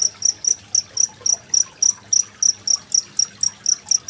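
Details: Cricket recorded in Indonesia on 25 February 2023 alongside trickling water, used as tutor audio for contest songbirds such as magpie-robins; sharp high-pitched chirps repeat about four times per second over a soft low water murmur.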